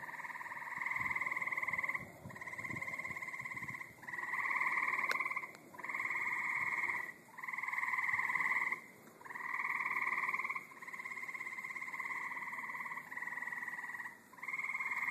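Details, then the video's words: Tree frogs in a back yard give long, steady, buzzy trills, each lasting over a second, repeated in a near-continuous chorus. "Sounds of my back yard! Tree frogs"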